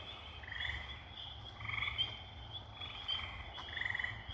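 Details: Night-time frog chorus near a pond at dusk: tree frogs singing from high in the trees give short, buzzy brrr trills of about half a second, over a steady high chorus of spring peepers.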